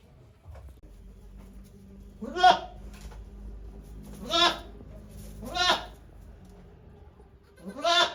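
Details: A goat named Okayu at Yoshigake farm during birth on 3 May 2023, volunteers watching; four loud, wavering harmonic bleats spaced about one to two seconds apart over a low steady hum.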